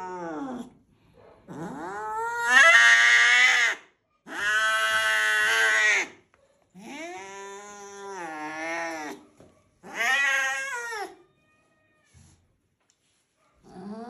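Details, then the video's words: Loud angry domestic cat caterwauling: a series of rising-and-falling harsh wails of one to two seconds each, separated by short pauses, with a quieter cry near the end. "this cat has the loudest voice when it's angry"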